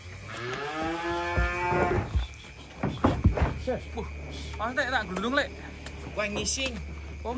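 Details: Giant cattle being offloaded from a truck in 2025 gives a loud, two-second moo at the start, followed by men's voices and knocking noises.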